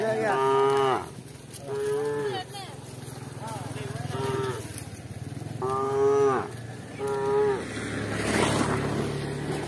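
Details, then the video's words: Cows from a village herd walking alongside shepherds give repeated short, bright moos roughly every second or two, each ending in a downward slide, over a steady low rumble and a brief noisy burst near the end. "Cowbell - Cow Sound"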